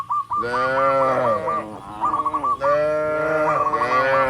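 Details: Dozens of tame cattle walking along a rural road toward the barn call other cattle with steady, long, resonant moos, one after another, while quick high chirps sound over them.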